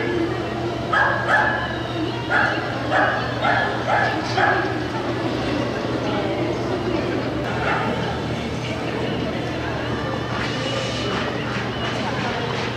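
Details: Lakeland Terrier at a Korean international dog show, 13 March 2016, giving bursts of short repeated barks, then quieter yips, amid crowd chatter, voices and a constant low hum.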